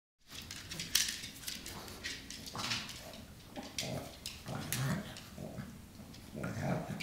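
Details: Pet pug Lola wrestles in play with Prince, a chihuahua foster brother from Lucky Dog Animal Rescue, indoors: short low grunting growls and snorts come in bursts amid scuffling, clicking paws and rustling.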